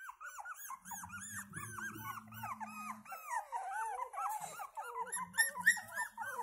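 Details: Pomeranian puppy whining with a rapid stream of squeaky, arched cries, each rising then falling, tumbling over one another almost four times a second, over a steady low hum.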